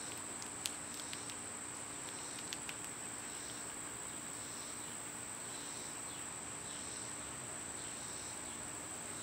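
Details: Loud summer insect sound with cicadas, a constant piercing high note and soft pulsing buzz, with several quick ticking clicks early on.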